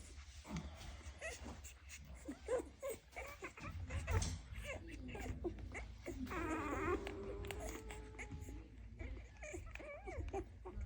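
Several Dalmatian puppies give thin, rising whimpers and short yips, overlapping in bursts. Human voices and room noise sit underneath the calls.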